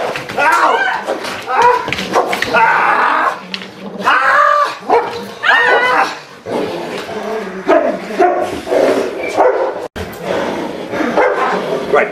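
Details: Giant schnauzer in protection dog training, once fearful, now biting with tenacity and aggression. Short sharp barks and yips mix with rising whiny cries and strained growling, while a man talks excitedly over the dog throughout.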